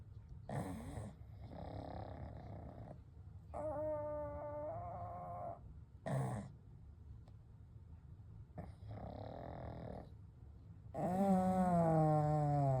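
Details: Kou, Gen and Shun, three pugs asleep together, snore and breathe steadily: raspy snorts alternate with clear, whistling wheezes every one to two seconds, ending in a louder drawn-out whistling snore.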